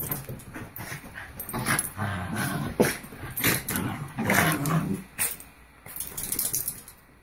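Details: Pair of Havanese dogs in back-and-forth wrestling play, giving a steady stream of low rumbling growls and huffs with short pauses, close and indoors.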